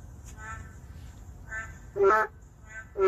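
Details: Endangered boreal digging frogs in the city: two loud nasal croaks a second apart, with fainter croaks from more distant frogs between them and low background hum.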